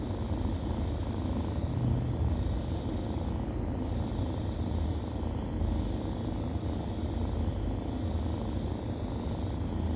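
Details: Unbroken low rumbling purr from stray kittens while nursing, even and steady for the whole stretch with a faint high hum behind it.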